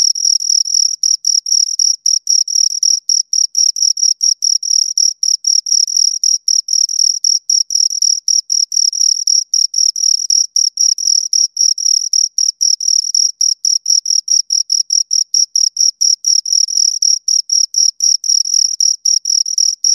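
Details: Two crickets keeping up a dense, nearly unbroken series of rapid high-pitched chirps, the pulses crowding close together into an almost continuous ringing trill.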